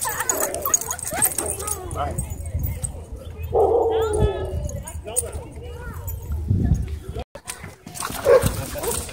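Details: Dogs chasing one another through a dog park: one loud, harsh bark bursts out midway, with a shorter yelp near the end, while people talk steadily in the background.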